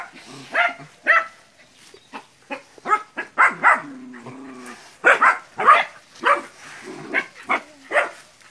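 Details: Nine puppies face down a large water buffalo as training in West Sumatra; irregular barks and yelps from several young dogs, with a brief low rumbling sound midway.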